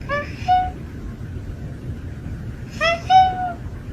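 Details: A cat making weird noises: two short, tonal, harmonic-rich calls, the first near the start and a longer, wavering one around three seconds in. A steady low rumble runs underneath throughout.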